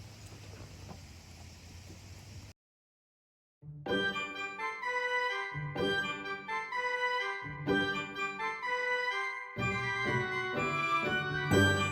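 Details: Low background hum gives way, after a short silence, to electronic organ music playing a bouncy tune; no animal calls are heard.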